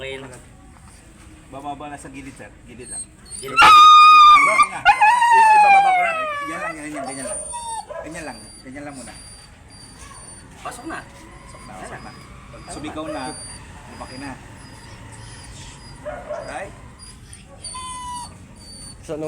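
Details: Siberian Husky at a stud service session in Urdaneta City gives a loud burst of drawn-out, falling howls lasting about three seconds, then quieter whines beneath background music, voices and applause.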